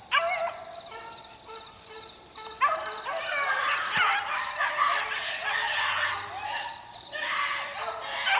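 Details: Four-month-old beagle pups in the wild, 2013, start with a few spaced yelps that swell into continuous overlapping baying from several dogs, over a steady high-pitched whine.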